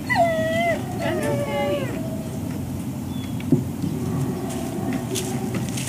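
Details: Dogs of ServiceDogProject, Ipswich, Massachusetts, waiting one on one for breakfast, October 14, 2017: a burst of strong, drawn-out whines bending downward in the first two seconds, then fading to quieter whimpers over a constant low hum.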